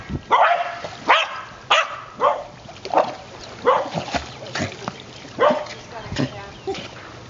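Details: White terrier Ginger, five years old, chasing a ball while swimming; a steady run of about ten short, bright barks spaced under a second apart, with a human voice and water sounds.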